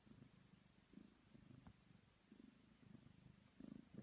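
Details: Domestic kitten purring while kneading on a man's body, a soft low rumble pulsing in short uneven bursts, quiet and close, with faint rustling.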